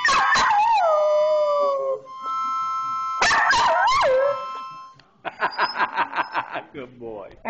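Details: Australian Cattle Dog; howl; singing along to harmonica music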